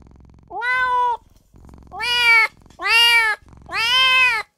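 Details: Newborn kitten crying for its mother and owner: four loud, harmonic-rich meows about a second apart, each holding a steady pitch with a slight rise at the start and a fall at the end, over a faint low background hum.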